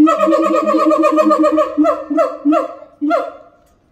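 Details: Los Angeles Zoo siamangs, mother and father, in harmony: a fast run of ringing, nasal barks that slows into several separate loud yelps before fading out.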